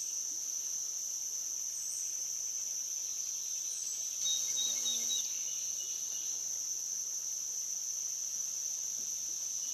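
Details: Cicadas on the Licking River at Morning View, captured during a dusk-to-dawn recording: an even, piercing continuous buzz dominates, with a few thin whistled bird notes near the middle and a brief low murmur.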